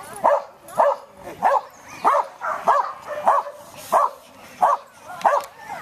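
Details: Samoyed Irish, GCh. Vanderbilt's Stroke of Luck, at an AKC sheep herding instinct test at Keepstone Farm near Berryville, Virginia, June 15, 2013, untrained with sheep, gives about ten sharp mid-pitched barks at a steady pace, roughly one every half second.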